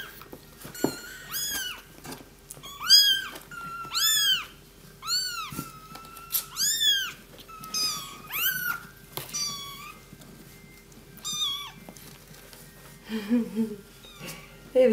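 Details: Several three-week-old fluffy kittens, just found under a house and settled in a box, give a steady series of high, rising-then-falling mews, often overlapping, every second or so, with a faint low hum behind.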